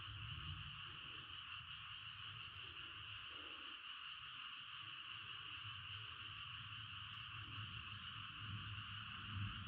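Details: Frog chorus recorded while camping in a tent: a dense, unbroken wall of many overlapping callers forms a steady shrill hum that never pauses, with a soft low rumble underneath throughout.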